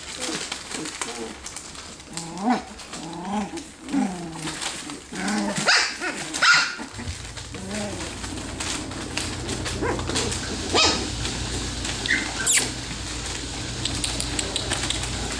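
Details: Litter of ten three-week-old F1B Standard Goldendoodle puppies just learning to bark and play fight: a run of rising and falling whines and yelps in quick succession, then scuffling noise and a low steady hum.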